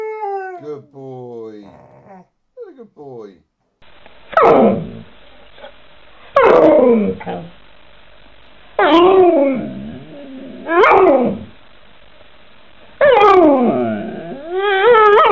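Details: Pet Alaskan Malamute or Siberian Husky named Mishka howling and talking at home while the owner speaks affectionately to it; a woman's voice opens, then five loud wavering howl-moans arrive about every two seconds, sliding and bending in pitch.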